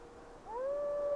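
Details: A gray wolf's howl swells upward into a long, steady, mournful tone in windy weather, over a faint wind hiss.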